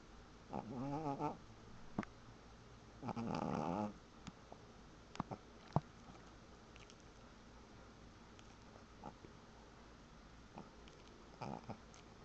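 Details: Pet dog asleep and snoring: two buzzy, quavering breaths early on, then mostly quiet hiss broken by soft clicks and one last faint breath near the end.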